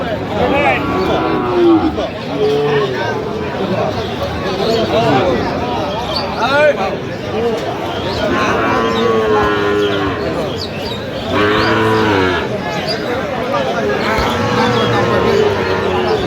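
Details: Sahiwal bull calves at a cattle market in Kurigram, Bangladesh, on 20 January, lowing in several drawn-out, harmonic moos, some rising then falling, heard over steady crowd chatter and men talking nearby.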